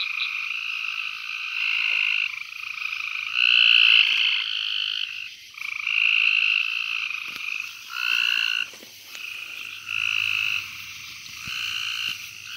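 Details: Gulf Coast toad (Incilius nebulifer) giving short, buzzy rattling trills one after another, recorded during a frog search at Fort Polk, Louisiana, on 24 June 2020; Gulf Coast toad.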